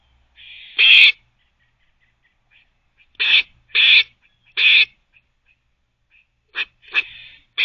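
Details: A squirrel gives harsh, raspy barks in short bursts while teething, spaced irregularly with brief pauses between them.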